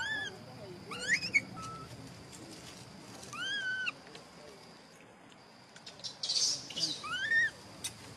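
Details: Angry whistling from a pampered little male macaque objecting when he disagrees: clear arched whistles with rich overtones, repeated about three times, over soft background noise and a brief rustling burst.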